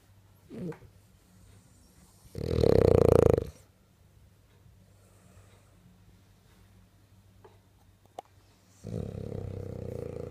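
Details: A French bulldog snores while sleeping and dreaming, in rough, breathy rasps separated by long quiet pauses.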